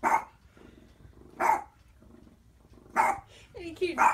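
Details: Boston Terrier barking at his own reflection indoors: short, sharp barks spaced about every one and a half seconds, with a person speaking softly between them.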